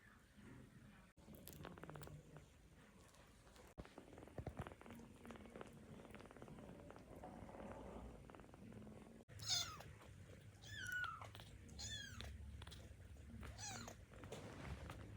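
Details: Tiny baby kittens, still learning to move, awake and hungry for milk; a few thin high mews in the second half over low rumbling handling and rustling noise.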